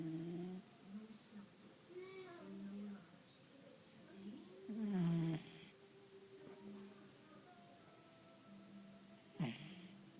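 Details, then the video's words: Sleeping pet dog named Nelson snores while resting on an arm indoors, giving deep humming drones in long, uneven breaths, one swelling louder midway, plus a short sharp snort toward the close. "Snoring Dog"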